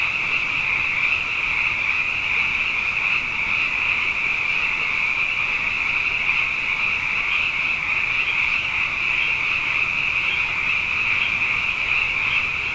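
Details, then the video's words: Abundant frogs calling at night after two wet years in a row, forming a dense, unbroken chorus of high, shrill trilling that holds steady throughout, with no gaps and no other clear sounds. "Frog Songs: Na Mele o nā Paloka"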